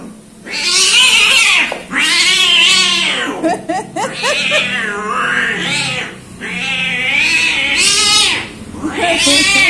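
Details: Loud, harsh yowling from a fearful orange cat, repeated drawn-out wails about every two seconds with bright, strained harmonics, a choppy stuttering stretch in the middle.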